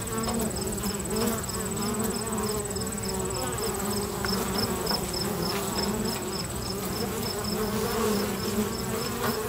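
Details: Many busy bees at a local bee box hum together in a steady, low, droning buzz that never pauses; bee.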